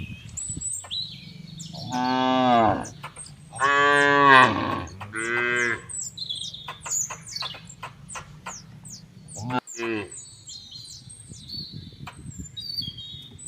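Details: Cattle on an oil palm plantation in Bekri district, Central Lampung, give loud, drawn-out moos, with birds chirping and buzzy insects in the background.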